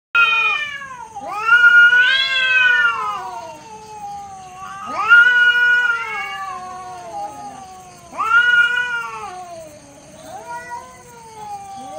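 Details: Cats facing off in a neighborhood, holding their standoff for a few minutes until one submits; loud drawn-out yowls that rise then sag, three long wails about every three seconds, with harmonics stacked high above each cry.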